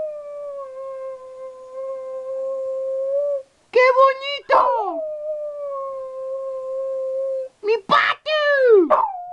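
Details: Dog talking back and forth with its owner; long, flat, sustained moaning tones lasting several seconds, broken by rougher, wavering yowls that bend downward, in a quiet room.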